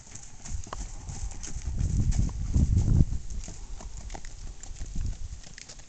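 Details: Tennessee Walking Horse stallion's hoofbeats, deep thudding steps about four per second, swelling louder in the middle as the horse passes close, then fading.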